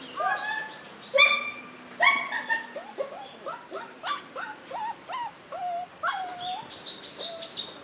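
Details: Newborn White Schnauzer puppies born on September 3 give thin, high squeaks and short whines, some rising then dropping, spaced about a second apart with brief quiet gaps.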